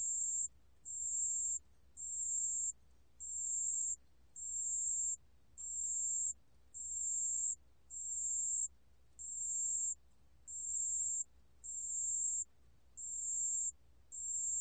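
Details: Pale bell cricket song recorded by the National Institute of Biological Resources in 2020: a long, metronomic run of about thirteen high, pure ringing bursts, one every 1.1 seconds or so, over faint low background noise.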